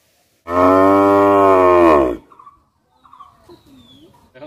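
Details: Cow on a village farm giving a single loud, steady moo of about one and a half seconds, rich in harmonics, followed by quiet murmurs.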